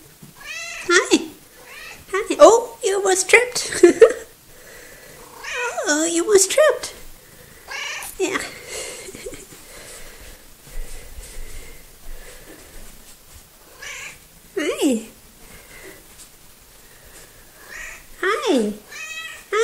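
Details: Coco, a small, talkative pet cat, meowing indoors in a 'conversation' recorded 3 February 2018; bursts of falling, harmonic meows cluster early and late, with quieter stretches and a person's voice between calls.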